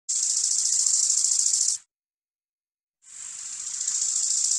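A grasshopper gives two long, dry, hissing buzzes separated by a short pause.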